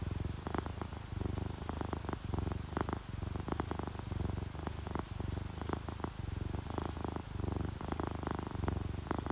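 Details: Deep, continuous purring from a drowsy orange tabby and calico pair, relaxed and happy, pulsing evenly in breath-length waves, while rain drips against a window with crisp irregular clicks.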